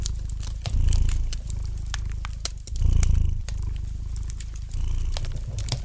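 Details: Relaxed domestic cat purring near a crackling fire: low throaty rumbles building into louder swells about every two seconds, mixed with frequent snaps and crackles from the fireplace.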